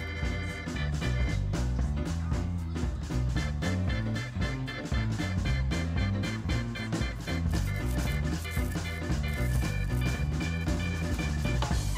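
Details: Upbeat swing-style music with brass and a steady beat plays throughout, with no animal sounds heard.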